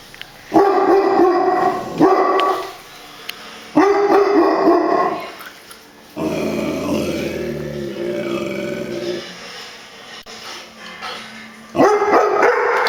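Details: Brownie, a dog said to bark at everything, barks in loud repeated bursts; a lower, sustained sound with a varying pitch fills the middle, and a final burst of barks closes.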